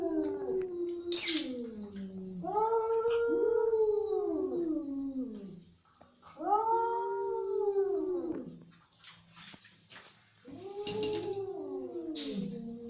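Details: Angry cat yowling in three drawn-out, bending wails with quiet gaps between, punctuated by brief hissing bursts and faint clicks.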